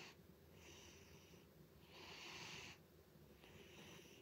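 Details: The snoring of Butters the cat indoors: wheezy, airy rasps that swell and fade in slow rhythm, three breaths in just over four seconds, the middle one loudest.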